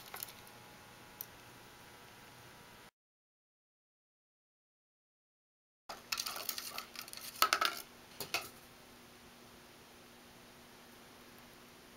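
Household clinks and clatters of dishes and cutlery in a small room, with a gap of silence and no animal calls.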